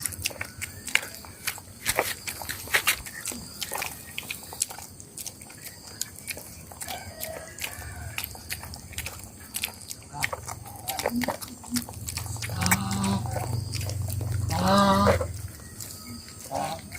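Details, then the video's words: Hungry dog eating, with rapid irregular wet chewing and biting clicks about four per second, a brief low grunting or growl-like rumble near the end, indoors in a small room. "how hungry dog make noise while eating"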